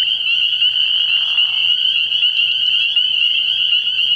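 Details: Spring peepers massed at a frog pond on an early-year night, producing a continuous high shrill peeping chorus; a lower, grating frog call rises briefly beneath them in the first two seconds.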